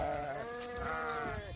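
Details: Goats taken out to graze as part of Dhangar herding life: a drawn-out, wavering bleat with rich harmonics, overlapped by other bleats and a faint background murmur.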